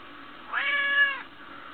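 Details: A pet cat meows at her owner as if telling what is on her mind; one clear drawn-out meow of about half a second, steady and slightly falling at the end, indoors with quiet background.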